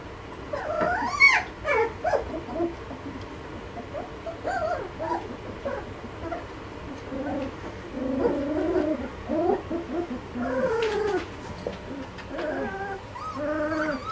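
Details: Malinois puppies aged two and a half weeks whimpering almost continuously, overlapping wavering whines and short squeaky yips from several pups, some rising and bending, with soft rustling between them.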